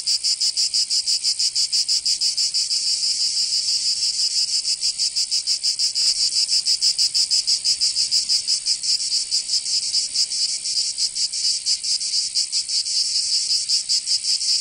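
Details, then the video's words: Summer cicada chorus from Provence in southern France: dense, shrill buzzing with rapid pulses that blur together in places, about three beats per second, and nothing else audible. "Canto Cigarra 🦗 [ Escuchar les cigarras en verano"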